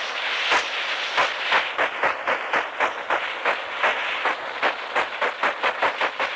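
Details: Sperm whale clicks picked up by the microphone of a 1964 American submarine, sharp broadband knocks repeated about three to four times a second over a hissy background.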